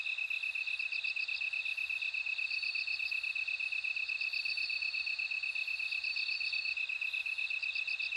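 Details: Bell cricket chorus: clusters of quick, high, bell-like pulses come in bursts every few seconds over an unbroken, evenly ticking lower insect trill. Faint hiss fills the background.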